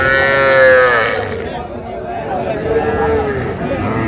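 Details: At a Faridpur cattle market, Bangladesh, on 17 March 2025, a young Sahiwal calf among small bulls and heifers gives a short moo, then a second softer falling call after a pause, against background talk.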